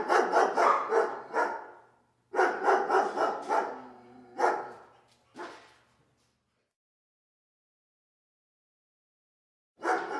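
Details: Dog letting out rough, stuttering barks in two dense clusters, each breaking into rapid pulses. Two shorter, fading barks follow, then four seconds of silence before one more burst at the end.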